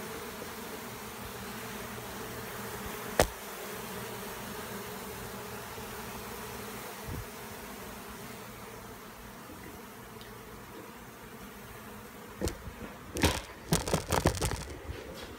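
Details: Steady, even drone of a honey bee swarm that arrived the same day in McAllen, Texas, heard as it is gathered into a box to be relocated. Near the end come a few loud clattering bursts.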